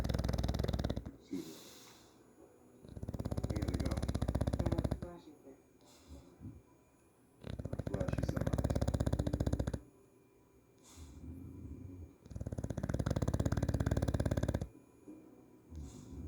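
An English Bulldog snores loudly in deep, rattling bursts every few seconds.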